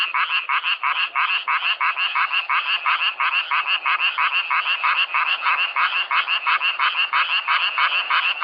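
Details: Frogs croaking in a self-recorded nature sound: rapid, regular pulsed croaks, about three per second, dense and continuous with a bright, raspy tone throughout.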